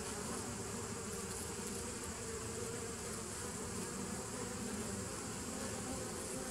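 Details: Steady massed buzzing of bees, 27 September 2018; a continuous low drone with layered bands and a constant airy hiss above, no pauses or other clear sounds.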